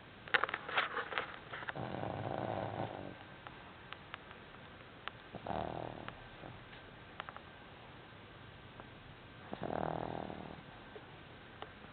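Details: Pet cat Bausch asleep in an odd sprawled posture, snoring: three rough, breathy rasps spaced about four seconds apart, each lasting roughly a second, with faint clicks and a steady indoor hiss between breaths.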